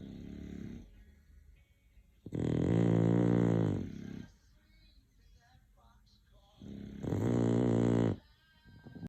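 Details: Loud, droning snores from an English bulldog, two full rasping breaths about four seconds apart plus partial snores at the start and end, with soft breathing in the pauses.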